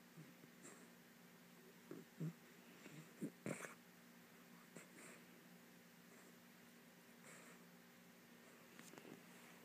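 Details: Kaiser, a miniature dachshund puppy, asleep on a couch indoors, snoring softly in low rasping breaths, several louder snorts clustered in the middle, quiet room otherwise.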